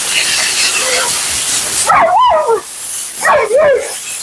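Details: At the groomer's, Siberian Husky Mila voices two warbling, rising-and-falling 'woo-woo' yodels during her bath and blowout against a constant rushing hiss.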